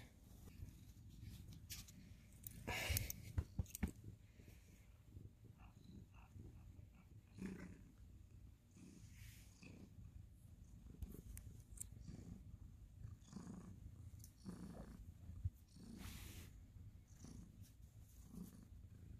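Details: Ginger cat Sir Salmon cuddling with his tabby friend Abby Tabby indoors at Thanksgiving, November 2020; a soft, steady low rumble of purring runs throughout, broken by a brief louder rustle early on and faint scattered clicks.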